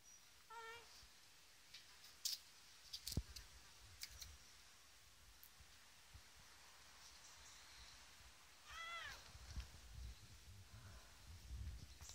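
A Bengal cat gives two brief, high meows several seconds apart, with a few soft clicks between.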